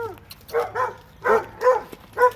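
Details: Two dogs in Alabama let out quick pairs and single high barks with short pauses between them, loud and clear over a quiet background.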